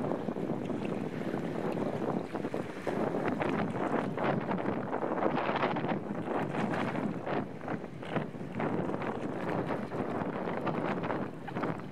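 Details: Steady wind buffeting and boat or water noise fill the whole recording, with no animal calls heard.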